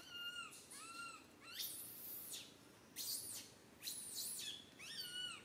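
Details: Little monkey Santo crying loudly on a tree branch while mother Sara cannot care for him; arched, wavering whimper notes alternate with harsh, broadband screeches, about one outburst per second.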